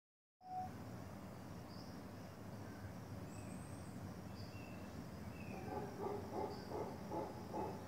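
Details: Howler monkeys in jungle give a deep, rumbling territorial roar swelling into throaty pulses near the end, calling to each other to stay away, with faint bird chirps above.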